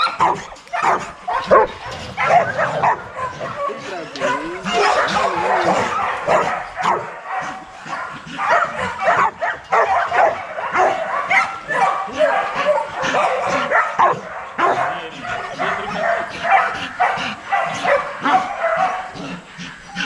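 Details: A pack of young Rottweilers exercising in a kennel yard, barking together in a dense, irregular chorus with frequent sharp yips, the racket rising and falling in bursts throughout.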